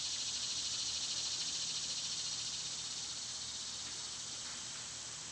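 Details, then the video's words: A loud, unbroken high buzz of cicadas in summer, rapidly pulsing about three times a second and slowly fading in strength through the clip. "Cicada sounds"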